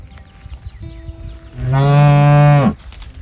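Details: Calf calling out while searching for its mother: one loud, steady, low harmonic moo lasting about a second, ending abruptly, with quieter rural background noise before and after.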